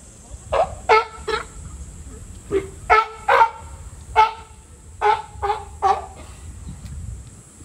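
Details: California sea lion at Higashiyama Zoo and Botanical Gardens, filmed July 2022; hoarse, honking barks given singly and in doublets or triplets, several groups across the recording, over a steady background hum.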